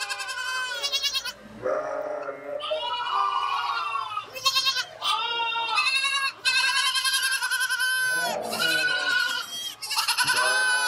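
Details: Goats bleating in a loud, nearly continuous series of wavering, nasal calls, each rich in harmonics, some rising and some falling, overlapping one another with only brief pauses between them.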